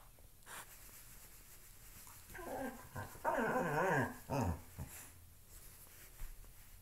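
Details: Loki, a pet dog, playing with a shoe indoors, gives a run of throaty, wavering grumbles and growls lasting about two seconds, rising and falling in pitch, after a quiet start; soft room noise throughout.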